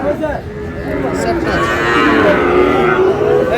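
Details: Market scene in Parbatipur, Dinajpur, 8 May 2026, with young Sahiwal bull calves: low, bending moos from more than one calf, overlapping, while people talk in the background.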